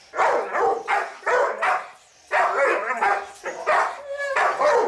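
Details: Family guard dog barking loudly in a clean recording: short harsh barks, some doubled, about eight in five seconds with a brief pause midway, little background noise.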